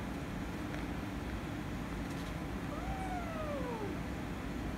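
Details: Cats meowing as a kitten, wanting to play with a calico cat, turns angry and the two fight: a single drawn-out meow that slides steadily downward in pitch, over a constant low background hum.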